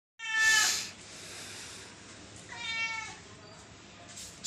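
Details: Cats, five kittens and one adult, meowing because their feeding is running late; two drawn-out, harmonic-rich meows, the first louder and higher, the second falling in pitch, with a faint click at the end.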